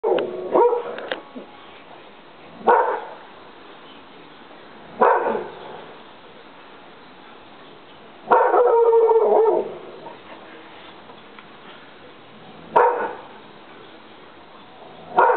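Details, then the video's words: English Springer Spaniel giving short harsh barks every two to three seconds, with one longer tonal yelp near the middle; quiet room between outbursts. "english springer howling"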